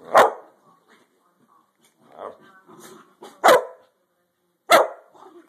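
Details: Playful dogs spending the day at play: sharp loud barks at about 0.2, 3.5 and 4.7 seconds, with softer grumbling growls and short yips between them.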